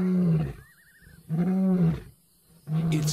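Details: An African lion in Timbavati gives deep, grunting territorial roars, a weapon to frighten rivals, in three heavy bursts about every second and a half, with a brief wavering whistle between the first two.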